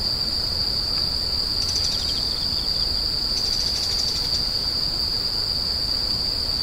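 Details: Screeching insects hold a constant piercing high tone, with two louder buzzy bursts of rapid pulses that briefly rise above the steady trill, over a dull low rumble.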